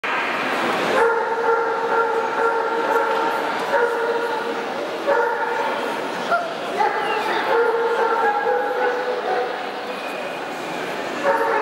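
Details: Siberian Husky at a champion dog show in Odessa, 2010: drawn-out, tonal whining yelps in overlapping bursts of one to two seconds, over a steady hum of crowd chatter.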